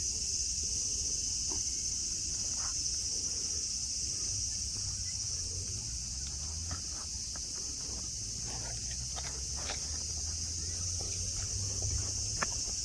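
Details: Cicada chorus at Nara Park, Japan, where friendly deer roam the grass beneath green mountains; a constant high buzzing hum runs without pause while scattered clicks and soft footsteps sound nearby.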